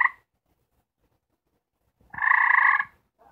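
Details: One loud pulsed trill lasting under a second, a gray treefrog mating call from a group of four frogs trying to mate, set between quiet pauses with a brief trill at each edge.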